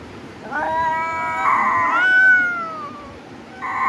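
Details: Cat giving drawn-out, harmonically rich meows: a wavering call rising and then sliding slowly downward over about two seconds, followed by a short fresh meow at the end.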